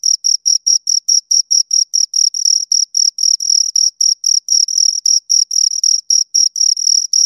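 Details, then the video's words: Close-up sound of two crickets: evenly spaced shrill pulses of bright, high-pitched ringing, roughly four per second, sometimes slightly doubled, in an otherwise silent setting. "Two Crickets Chirp Sounds"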